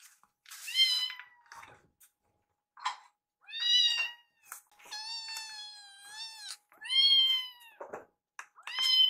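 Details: Two rescued foster kittens, Yuki and Piyo, meow insistently while staring at their caretaker and asking for food. About seven high, clear meows come in quick succession, some short and some long and drawn out, in a quiet indoor room.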